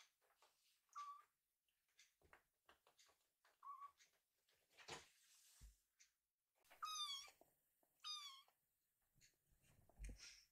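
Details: Drowsy rescued kitten asking its mother for bedding: faint thin mews early on among rustling and shuffling, then two louder, wavering meows about a second apart, followed by more rustling.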